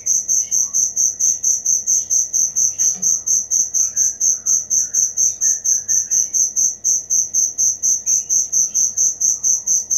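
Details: Continuous shrill cricket chirps repeated about three times per second, with a few soft bird chirps faintly behind.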